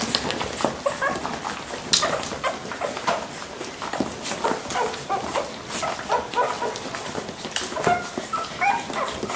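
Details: Lagotto Romagnolo at a Munich Rittergut: a run of brief squeaky yelps and whines, irregular and close together, mixed with sharp knocks and shuffling sounds throughout.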